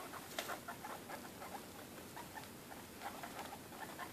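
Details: Baby guinea pigs, 2.5 weeks old, eating dinner: busy scratchy munching patter mixed with a few short faint squeaks, one louder click near the start.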